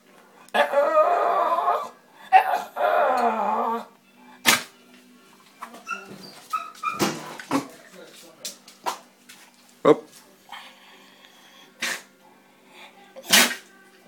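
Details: A 12-year-old Staffordshire Bull Terrier makes drawn-out, moaning 'talking' vocalizations after being asked to "say please", with a person speaking briefly.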